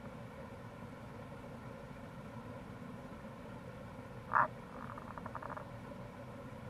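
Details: Tago's brown frog (Rana tagoi) calling in April near a gorge on the Kamo River, Itoshima, Fukuoka, Japan: one short loud croak, then a brief train of rapid low pulses, over a steady low rushing background.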